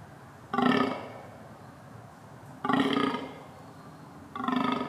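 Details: Red deer calling: three harsh, nasal bleats about half a second each, rich in stacked overtones, spaced roughly two seconds apart over a steady low background hum.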